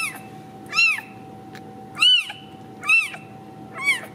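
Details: Ragdoll kitten raised in a home cattery in central Kansas, no cages, giving four high arching meows about one second apart, each rising then falling, over a faint steady electrical hum.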